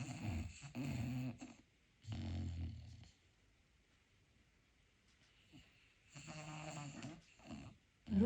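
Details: Sleeping pet dog dreaming indoors and softly snoring: low rough rumbling snores come in bursts of about one to one and a half seconds, with quiet pauses between them and a small snort partway through.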